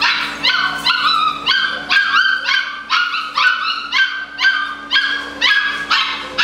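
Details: Eight-week-old Malinois puppies, socialized daily, give high-pitched yipping barks, roughly one per second in a steady run, each bark bright and sharp, over a low constant hum.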